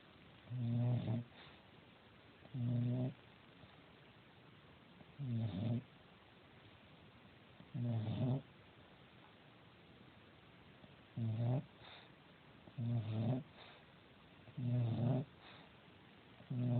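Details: Sleeping female house cat snoring; short, deep, harmonic snorts come roughly every two seconds, some slightly longer than others, over a quiet indoor background.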